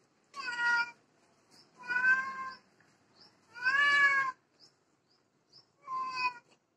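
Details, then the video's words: Domestic cat crying while watching another cat, four clear, drawn-out meows, each rising slightly then falling, coming roughly every one and a half to two seconds, with faint soft ticks between them. "cat seeing other cat crying"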